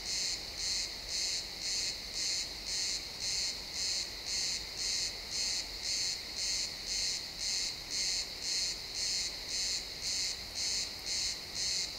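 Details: Pine forest crickets at sunset in a realtime stereo recording, chirping in a highly regular series of high, shrill pulses, nearly two per second, sustained throughout with no other clear sounds.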